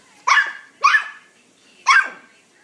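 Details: Puggle puppy giving three sharp, high-pitched yappy barks, the first two close together and the third after a longer pause, with quiet between them.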